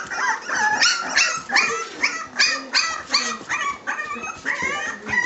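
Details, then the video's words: Litter of three-week-old Staffordshire Bull Terrier puppies: overlapping high squeaky whimpers and yips, several pups calling at once in a rapid irregular chorus, about three cries a second. "Pups at 3 weeks old"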